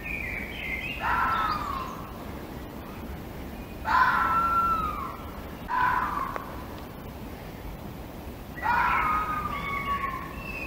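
A fox gives harsh, screechy calls that slide downward, repeated every few seconds.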